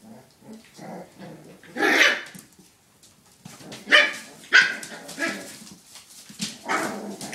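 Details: Five puppies at play, giving short high yaps and squeaky barks in scattered bursts, with quieter whines and scuffling between them.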